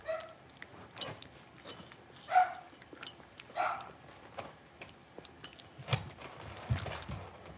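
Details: Six-week-old blenheim Cavalier King Charles Spaniel puppies, a litter of five in an indoor puppy pen, give a few short high yips spread across the stretch, mixed with scattered clicks and light clattering.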